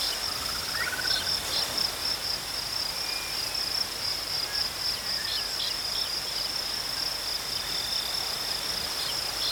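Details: Steady high trilling of crickets outdoors, unbroken and unchanging throughout, with soft distant bird whistles and a faint rising whistle now and then beneath it.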